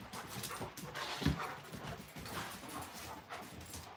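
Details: Alaskan Malamutes outdoors at night, playing and chasing each other: rough, breathy bursts of panting and scuffling come in quick uneven runs, with one short low thump near the middle.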